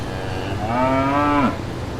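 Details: A single deep, steady moo lasting under a second from a brown cow or calf grazing in green countryside pastures, with a low constant hum behind it.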